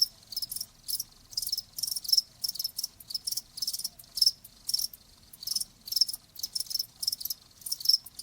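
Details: Cricket chirps used as a nature sound for tinnitus relief, high trilled bursts separated by clear short pauses, roughly three per second, with little else heard.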